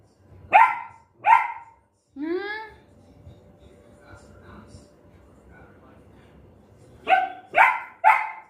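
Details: Pet puppy in Guntakal, India, angry at dogs barking outside and wanting the gate opened: two sharp barks, a rising whine, quiet stretch with faint voices, then three quick loud barks at the end.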